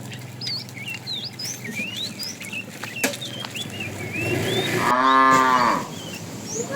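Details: One short harmonic moo from a tame cow wandering a road for food, following a stretch of lively bird whistles and chirps.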